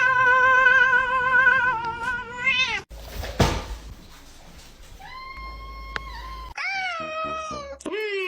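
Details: Domestic cat giving long, drawn-out wavering meows. The first holds for nearly three seconds before falling away. After a noisy break come two more cries that rise and then drop, ending with a short final mew.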